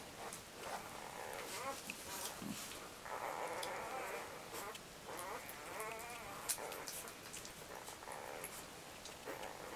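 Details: Labrador Retriever puppies aged four to five days, sleeping, produce repeated quavering whines and squeaky cries, several overlapping, with rustling and small clicks throughout.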